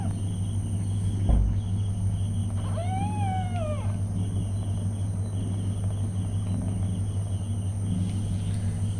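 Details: Domestic cat, a mother with her newborn kittens: one clear drawn-out meow, rising then falling in an arch, with strong harmonics, lasting about a second, over a steady low hum.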